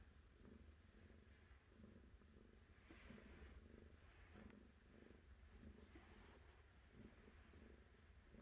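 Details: Cat's low, even purr, rhythmic throbbing bursts about every second over a steady murmur, heard at close range in a quiet setting.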